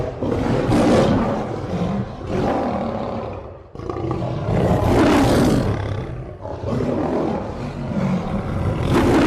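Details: Lion roaring in dense, rough bursts that swell and fade in three long waves, each lasting about three seconds with brief dips between, deep and broadband throughout.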